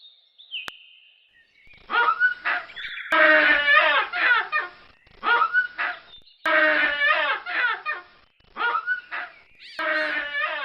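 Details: Baboons calling in loud, harsh bursts of stacked, wavering cries that sweep downward, grouped in clusters of about a second each with short gaps between them; a brief higher whine opens the sequence.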